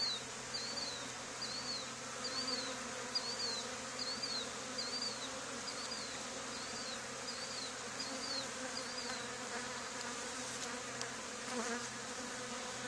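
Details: Honey bee swarm settled on the wall of an old barn, two days after a hive was cut out there; a steady layered hum runs throughout, while a small bird chirps a quick repeated note about twice a second above it.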